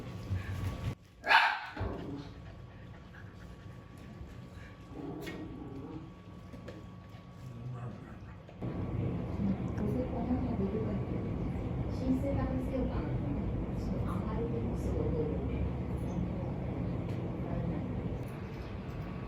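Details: Shiba Inu dogs rushing to their owner couple's emergency; a single sharp, loud bark bursts out near the start, followed by fainter, scattered sounds beneath human talk and a steady household background hum.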